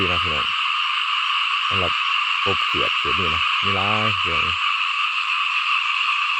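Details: Frogs calling in a rice paddy field: short deep croaks with rich buzzy harmonics, given singly and in quick clusters of two to four, over a steady high droning background chorus.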